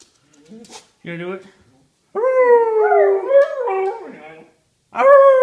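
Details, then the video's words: Pet female whippet howling, the howl breaking off suddenly mid-note. A brief human voice comes first, then a long wavering howl with falling and rising bends, and a fresh howl starts near the end. "Howling whippet"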